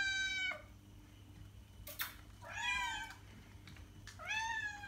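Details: {'text': 'Cat meowing three times, the first falling and the later two rising then falling, with a sharp click between them and a faint electrical hum throughout; aimed at getting cats to respond.'}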